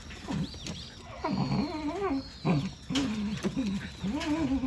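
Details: Wanggeom, a Jindo ignoring a rattle toy, produces a series of wavy, harmonic grumbling whines in short bursts separated by brief pauses, with faint bird chirps behind.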